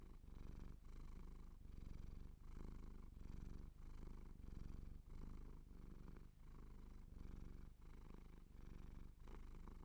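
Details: Siamese cat purring steadily, a low rumbling buzz pulsing in regular breaths roughly every three-quarters of a second, with brief pauses between each inhale and exhale.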